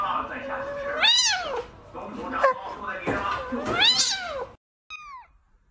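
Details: Domestic cat meowing indoors: two long, drawn-out meows about three seconds apart, each rising then falling in pitch, followed by a short high squeak, with a person talking in the background.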